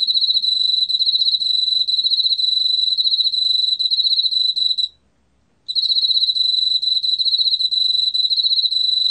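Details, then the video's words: Emma field cricket song: a piercing, evenly pulsed trill held at one high pitch, cut by a single brief silence midway before resuming unchanged. Faint low background rumble. "왕귀뚜라미, 여러번 듣기, 곤충소리"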